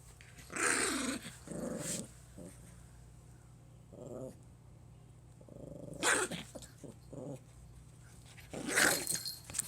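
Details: Indoors, a Pomeranian puppy trying to scare its owner gives rough growls and harsh, noisy barks in separate bursts, with low rumbling growls between them.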